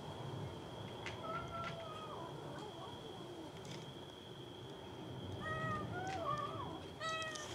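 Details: Cats fighting over food: short, rising-and-falling meows come in bursts amid a noisy, busy background of knocks and scuffling, with a thin steady high tone throughout.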